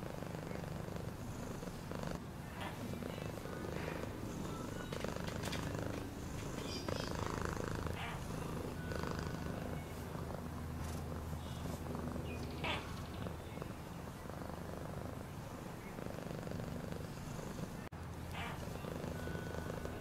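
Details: Continuous low, rumbling purr from a pet cat, even and unbroken for twenty seconds, with a few light taps and rustling noises over the steady throb.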